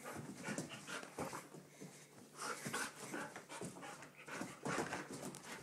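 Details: Excited Golden Retriever panting hard in rapid, breathy bursts with short pauses between runs of quick huffs.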